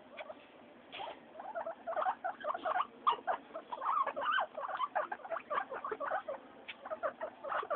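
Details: Noisy pet guinea pigs Mayumi, Archie and Miyuki during weekly floor time, giving a quick run of short high squeaks and chirps that build after a quiet first second.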